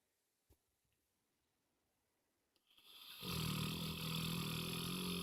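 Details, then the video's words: Moses, a pet dog, snoring loudly indoors; quiet at first, then a long rasping snore with a low rattling drone begins about three seconds in and holds steady to the end. "Snoring Dog"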